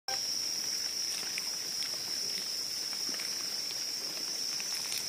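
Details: Cricket calling in a steady, continuous high-pitched trill that holds one unbroken tone throughout, with faint clicks and rustling beneath.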